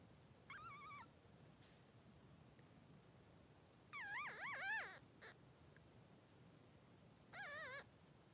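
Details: Newborn Cavalier King Charles Spaniel puppy, Blenheim, 3 days old, beside mother Pom-Pom: three separate wavering high whines spaced seconds apart over a low steady hum.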